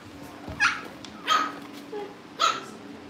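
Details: Young Cavalier King Charles Spaniel puppies indoors at a family home awaiting their new families; three short, sharp, high puppy barks about a second apart, with a softer yelp between, over a faint steady hum.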